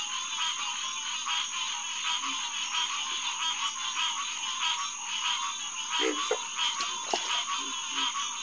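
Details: Night chorus of green tree frogs, Hyla cinerea, at SMNWR's Headquarters Pond around 9:10 pm on June 2, 2021. Many nasal, harmonic calls overlap into a constant pulsing wall. A thin steady high tone sits above, and a few short low croaks break through.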